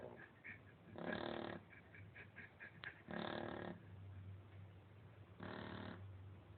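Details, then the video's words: Sleeping female Shar Pei snoring: three harsh rasping snores of about half a second each, spaced irregularly, with a low steady hum in the background and soft clicking noises between. "lolita roncando"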